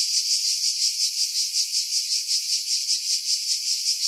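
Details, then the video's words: Shrill cicada buzzing from pines about 50 m above the sea at Pefkos Bay, Skiros, Greece, in July 2018, rising and falling in rapid pulses, several each second, with nothing else heard. "Cicada Sounds, July 2018 Skiros, Greece"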